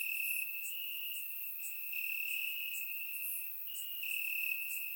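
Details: Night chorus of crickets in summer grass, Bulgaria, recorded in surround sound: an unbroken high-pitched trill, slightly shifting in pitch near the end, backed by soft higher chirping.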